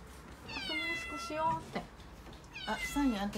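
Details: Calico kitten Mikene, a six-month-old female domestic cat kept indoors in Okinawa, cries in panic while delivery men bring a new refrigerator; two drawn-out harmonic meows with a falling tail, a person speaking softly between them.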